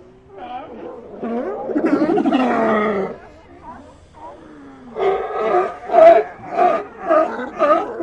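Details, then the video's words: Sea lions in an ambient recording, a dense chorus of harsh, harmonic barks and bawls, a long overlapping burst in the first three seconds, then a quieter gap and a string of loud rhythmic barks. "Ambient Sea Lions"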